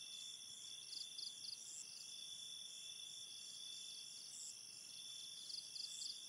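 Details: Crickets at night near a river in a forest setting, faint high-pitched chirps in short pulsed bursts repeating irregularly over steady high insect tones and a soft hiss of flowing water.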